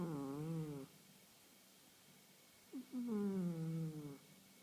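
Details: Sleeping female house cat Khaleesi, aged 1.5 years, who has just started snoring every day: two long, low, wavering voiced snores about three seconds apart, each sliding gently downward, with a short hitch before the second.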